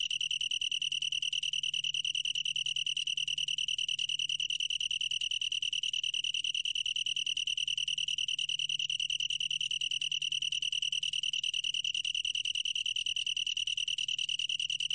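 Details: Sustained high trill of a long-tailed tree cricket, National Institute of Biological Resources, 2020; a smooth stream of fast, regular pulses holding one steady pitch throughout, with a quiet low hum behind.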